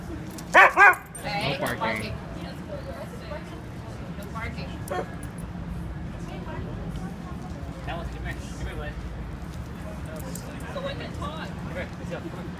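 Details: A Siberian Husky gives two quick, loud, yelping barks on seeing a pig in the street, then quieter voices and street noise follow.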